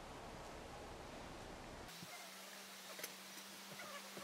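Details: A bumblebee kicking off a curious fly gives a burst of rushing noise, then a steady, low droning buzz.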